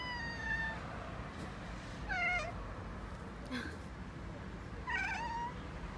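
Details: Black male cat and calico kitten in Okinawa conversing with birds: a series of soft chirping mews, some with quick wavering trills, spaced roughly every one to three seconds, over low background hum.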